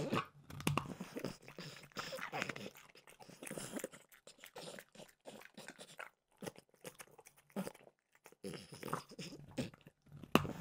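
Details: Peanut butter flavored dog treats crunched by French bulldog Mimosa in a small room; sharp clicky bites and crunches in irregular clusters with short quiet breaks.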